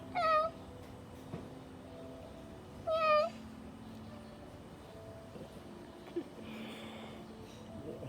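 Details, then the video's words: A pet cat reacting to a speaking sound meows twice, about three seconds apart. Both meows are short, clear and slightly falling, with soft faint sounds between them in an otherwise quiet room. "Cute cat looking at the speaking sound"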